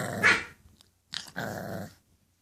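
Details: English Bulldog puppies indoors: a brief sharp yelp, a pause, then a short rasping, noisy growl lasting about half a second.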